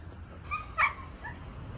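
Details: Draco, a red-nose American Staffordshire Terrier, gives one sharp, high yip midway through, preceded by a faint brief whine, against a quiet low hum.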